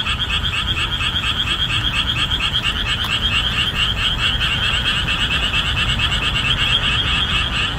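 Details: Boreal digging frogs in a marsh revealed after the summer monsoon, calling at full strength; a pulsing, repetitive croak chorus about two beats per second, unbroken and dense, with a faint click near the middle.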